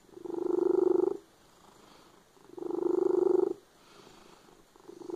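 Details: Loud purring from a domestic cat, heard as a pulsing, buzzy rumble in about one-second bursts that repeat with short quieter gaps between them, the third burst starting at the end; indoors, nothing else audible.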